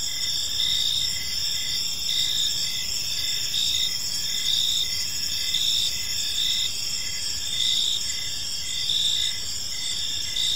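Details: Crickets in a park at evening give a continuous high, ringing trill; overlapping insects produce regular short pulsed chirps beneath the drone, while a soft low background hum persists throughout.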